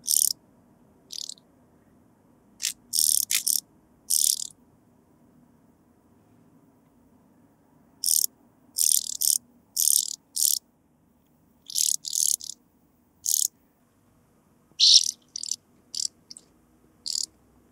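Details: Sphingonotus caerulans singing at Bernstein, Austria, in August 2023: clusters of brief scraping pulses, high and broadband, grouped in twos to fours and separated by silent pauses of several seconds, with no other sounds.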